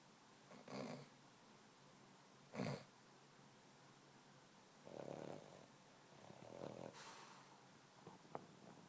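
A Boston Terrier snores in slow, rough bursts a couple of seconds apart.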